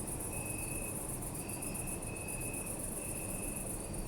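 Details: Short stretch of nighttime cricket chirping in a city park, Zoom F3 recording: pulsing high-pitched trill and two or three sustained chirp bursts, over steady low background hum of the city.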